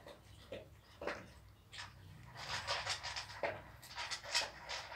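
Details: Newborn Pit Bull puppies on their seventh day give short, faint high squeaks at roughly half-second to one-second gaps, then a stretch of soft breathy, rustling noise with a few more brief peeps.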